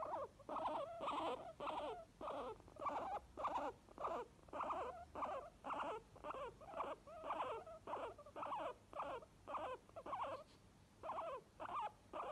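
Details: Two happy guinea pigs, one white, give a rapid run of squeaky wheeks, each lasting about half a second.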